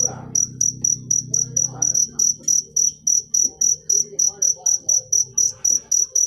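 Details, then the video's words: Bright, high-pitched cricket chirps repeat evenly, roughly four per second, each a short metallic trill. A low hum fades out early and faint background sounds remain. "Full suara Jangkrik manis. Suara merdu"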